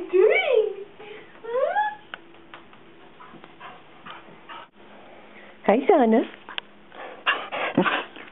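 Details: Female pet dog indoors in a small room, barking to draw attention away from Watson the cat during play; short rising-then-falling whiny yelps in bursts near the start and again past the midpoint, with a woman talking over and between them.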